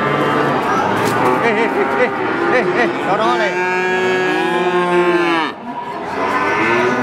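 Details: Calves mooing in overlapping, wavering calls from several animals at once, some rising and falling in pitch, over a busy background murmur of other animals.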